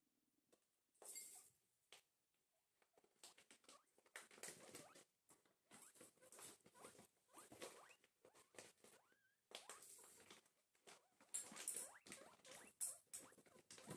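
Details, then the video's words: Two pet guinea pigs having breakfast: bursts of crunchy chewing and rustling patter, quiet pauses between, with one brief rising squeak partway through. "relaxing cute guinea pig noises"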